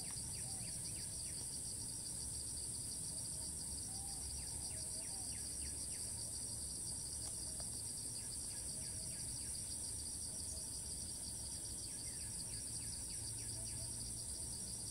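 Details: Cicada in Thailand, filmed from afar as it keeps flying to new perches and resumes calling each time it lands; a steady, shrill, high-pitched drone runs throughout, with faint rapid ticking pulses beneath and low background rumble.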